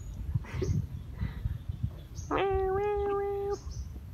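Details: Homeless kitten giving a single drawn-out, steady meow lasting about a second, preceded by soft rustling and faint low background noise.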